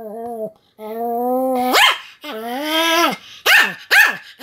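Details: Pomeranian dog barking continuously: long drawn-out whining barks with rising then falling pitch, followed by three short sharp yaps near the end.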